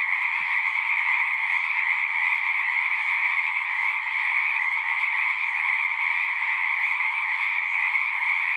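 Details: Singing frogs heard as a dense continuous chorus, bright trilling layered at two pitches without gaps, joined by a short low knock near the beginning and faint low rumbles.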